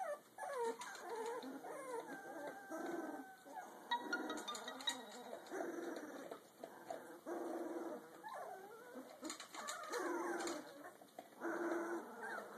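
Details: Young Rottweiler mix puppy at two weeks and two days of age, whimpering almost without pause. Wavering nasal cries slide up and down in pitch and come in uneven bursts.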